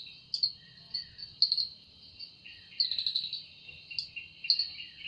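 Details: Cicada singing in a forest in the evening, its wings said to make the sound: thin continuous high drone with intermittent louder sharp pulses and a quick rattling series midway.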